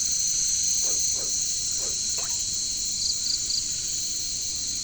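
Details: Jungle chorus of katydids, known locally as caricangkas: a continuous piercing insect buzz, a trio of brief pulsed chirps after 3 seconds, and four low croaks early on.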